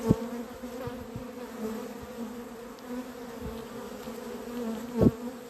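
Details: A beekeeper's honey bees, described as gone crazy, on 28 April 2026; a loud, steady hive drone with sharp buzzing passes of single bees at the start and again near five seconds, plus soft knocks.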